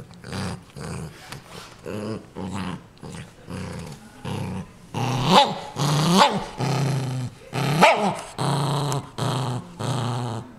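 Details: ['Pet dog Ninja guarding a new toy indoors, growling in repeated low rumbling bursts with rising snarly peaks, about one growl per second, loudest near the middle of the recording.']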